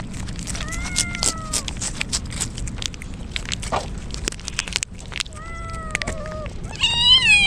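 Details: Wet stray kittens crying in the rain ahead of a typhoon; a few descending meows spaced apart, then a louder higher wavering cry at the end, over constant rainfall and dripping.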